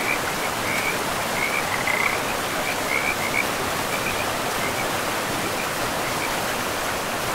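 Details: Forest river frogs give quick, high, chirping croaks in bursts through the first half, then fall quiet while the river's constant hissing rush fills the rest of the clip.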